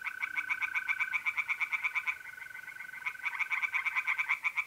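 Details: Tree frogs singing in a pond on a mid-April night in North-East Italy: fast, even trains of rasping pulses, several callers overlapping, while mole crickets hold a steady, pure trill beneath them.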